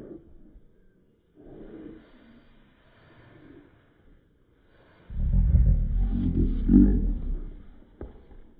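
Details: Cocker Spaniel puppy growling while upset with his baby Yoda toy: faint low grumbles early on, then a loud, deep, rumbling growl of about two and a half seconds that fades near the end.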